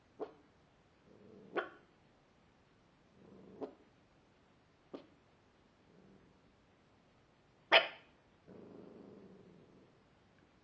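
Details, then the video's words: Pet dog barking though nothing was there to see: short sharp barks spaced irregularly, separated by soft whiny breaths, one much louder bark near the end followed by a drawn-out low whine. "Milou blaft"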